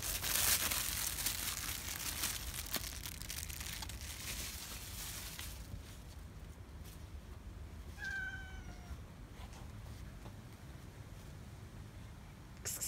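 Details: Night feeding of stray cats in Israel, with a gray angry male driving the rest away; after rustling and crinkling noise, a single clear meow with bright stacked harmonics sounds briefly near the end.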